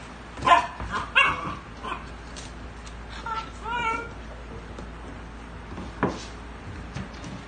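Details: Dog meeting a puppy, giving short high whining yips with wavering, rising pitch, several clustered in the first four seconds and one more near six seconds, with soft indoor background noise.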